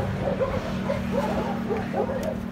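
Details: Puppies at play give short, high yips and whimpers in quick bursts, several overlapping calls over a steady low hum in the background.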